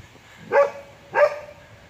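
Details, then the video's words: Border Collie Terra talking on an afternoon outing to the park while being asked to find sticks: two short, tonal, whining yelps that rise then hold steady, about two-thirds of a second apart, over quiet outdoor background. "Talking Border Collie"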